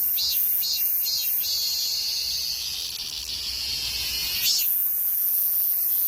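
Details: Cicada song with several brief buzzy pulses, then a long sustained high-pitched whine, and then more pulsing, all over a soft low background hum.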